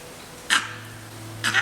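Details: A langur gives its alarm call in Melghat Tiger Reserve, India, during a jungle safari. Such calls usually signal a leopard or tiger nearby, and here perhaps a jackal. Two harsh barking bursts come about a second apart over a faint low hum.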